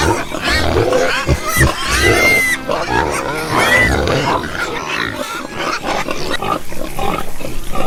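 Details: Farm pigs calling: harsh squeals with a few rising, pitched whines in the first four seconds, followed by lower, rougher grunting and snuffling noises.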